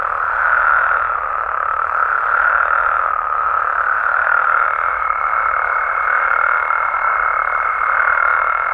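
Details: Massed calling of frogs and toads from Mexican amphibian habitat after dark; constant overlapping croaking swells slightly, and a thin high tone joins halfway through.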